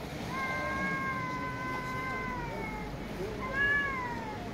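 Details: Street cat meowing and talking very loudly: one long, steady, slightly wavering meow lasting over two seconds, then a short rising-falling meow near the end, over low background rumble.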